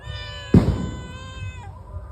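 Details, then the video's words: A house cat eager for raw fish meows while a sharp knock cuts in. A held meow then falls and fades, and a person talks nearby. "মাছ লোভী বিড়াল"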